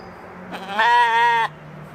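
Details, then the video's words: Evening bleat from a Katahdin sheep playing at a homestead in Michigan: a single sustained, slightly wavering nasal baa of about three-quarters of a second over a low steady background hum. "Sheep Playing | Sheep Zoomies | Homestead Evening Sounds"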